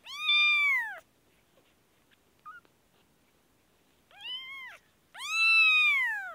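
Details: Kashmir kitten suffering an infection lets out a loud one-second meow, pauses through a near-silent stretch with a faint click, then gives a softer cry followed by a long loud wail.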